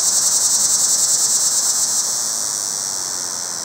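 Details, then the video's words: Cicada calling for a mate from a pear tree, approached closely: an intense high buzz with quick rhythmic pulses for two seconds, then settling into a smoother, slightly softer steady whine. "Cicada Mating Calls"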